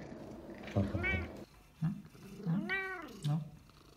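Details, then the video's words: Cat meowing in protest after being told no; two drawn-out, arching meows with clear harmonics, the second rising then falling, plus short grunting chirps, against a quiet indoor background. "Cat does not like being told ''no''"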